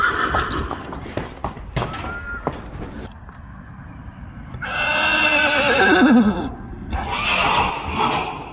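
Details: Friesian horse, one of a stable of 25, giving a loud whinny: a strong harmonic call with a quavering descending tail, then a second shorter neigh, after clattering hoof and stable noises.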